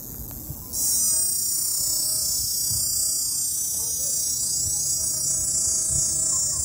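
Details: Cicadas near Popocatépetl volcano, Mexico, start abruptly after a quiet second into a loud, continuous high-pitched buzzing drone that holds steady and intense to the end, over faint low background rumble.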